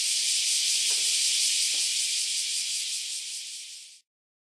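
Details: Group of cicadas just emerged after around ten years underground, chorusing before flying away: loud continuous high hiss-like buzz, gradually fading over the last second and then cutting to silence.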